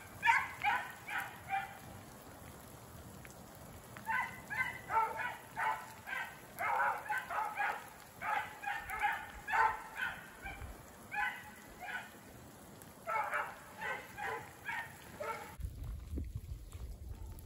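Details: Beagles Rio and Ripley running a snowshoe hare that circles through brush piles and water in snowy, rainy woods; a long chorus of quick, choppy bays in clustered bursts, fading before rustling noise at the end.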